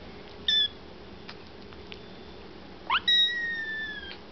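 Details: Foster kittens waiting indoors for their evening KMR milk give a short high squeak, then a quick upward-sweeping chirp leading into a long, steady, piercing mew that slowly fades.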